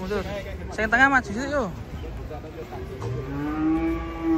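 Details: Cattle unloaded from a truck: excited human shouts at first, then a low, level moo rises out of the background near the end, with engine noise throughout.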